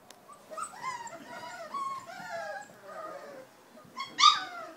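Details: Four-week-old Giant Schnauzer puppies from an H litter give high, overlapping whines and yips, several rising and falling tones at once, ending in a brief louder squeal.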